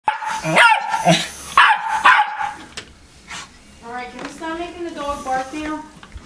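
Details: Pet dog barking at a fan indoors: loud, harsh barks in the first two and a half seconds, then people talking and laughing over quieter sounds.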